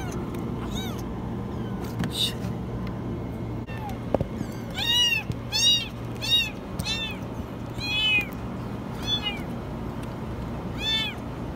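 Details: Very high meowing from a kitten stuck in a washing machine: after faint cries and a sharp click, a run of about eight arched meows in quick succession over a low steady hum.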